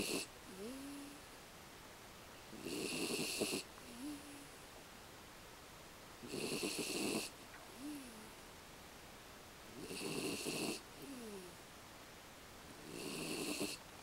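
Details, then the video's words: Sleeping American Beagle Aki snores steadily, a fluttering, rattling rasp roughly every three to four seconds, each followed by a thin, sliding nasal whistle as the dog breathes out. "アメリカンビーグル あきのいびき"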